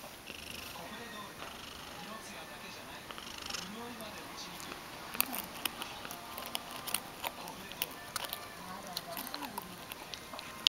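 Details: Ragdoll cat purring while being brushed, a soft low rumbling hum rising and falling in cycles about every second, with scratchy brushing strokes and small rustles over it.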